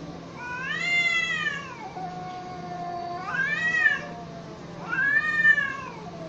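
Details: Cats in a standoff fight, with three long harmonic yowls that rise then dip, joined by a low sustained moan between the first two.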